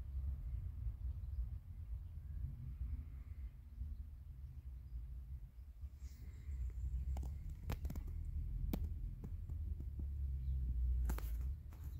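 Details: A quiet low throbbing hum runs throughout, broken by scattered sharp clicks and taps in the second half.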